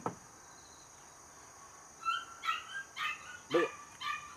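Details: Home-bred Border Collie pup, third of its litter and 77 days old, stays quiet at first, then lets out a burst of five sharp, high yips in quick succession near the end.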